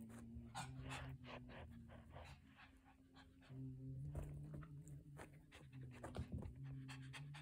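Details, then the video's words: Pomeranian panting from stress during a thunderstorm indoors; rapid, steady breathy pants, about three a second, with a low continuous hum and faint background music beneath. "Pomeranians, like many other dogs, can have stress during storms."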